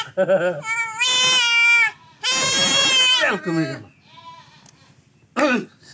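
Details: Buck goat undergoing castration gives two long wavering bleats, each about a second, nasal and tremulous, framed by brief human speech before and a short cry at the end.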